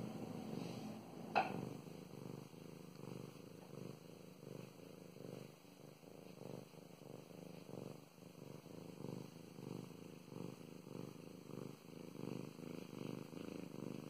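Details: Female domestic cat Mow Mows purring during petting; pulsing low purr in regular breath-by-breath cycles about once a second, a brief sharp click early on, and soft rustles of hands on fur.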